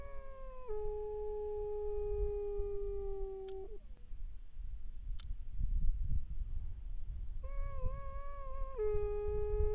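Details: Grey wolves from a pack of eight howling at night under a bright moon near a hunter's hide by a watermelon field in Krasnodar Krai: long, steady held howls that step down in pitch, resuming after a pause, over constant low rumbling noise.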